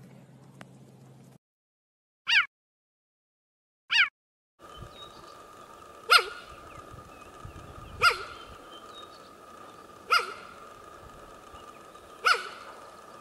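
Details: Cheetah in the savannah giving sharp, high, bird-like chirps, repeated about every two seconds over a steady hum.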